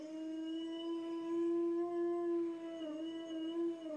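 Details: Toby, a pet Jack Russell Terrier, gives a long steady howl, one low sustained tone with a rich stack of overtones that barely wavers for four seconds, dipping slightly near the end, indoors.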